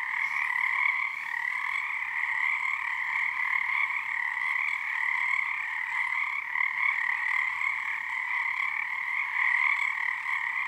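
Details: Many frogs calling together at Frog Korner, Harstine Island, Washington, under a full snow moon early in their season, syncing their tone; an unbroken, shimmering croaking chorus holding steady in two bright pitch bands throughout.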